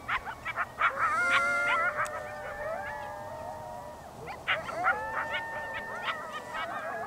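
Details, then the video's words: Several coyotes howl together in long, wavering tones broken by sharp yips in Yellowstone National Park. "Yellowstone Coyotes Howling"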